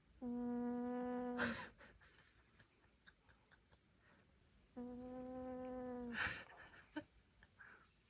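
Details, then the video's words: Maltese, an aged dog with dementia, snoring in its sleep indoors: two long level hummed exhalations, each ending in a short hissing inhale, with quiet pauses between. "강아지 코골이"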